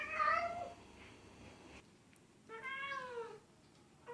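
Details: A domestic cat gives two drawn-out, harmonic meows, the second rising then falling.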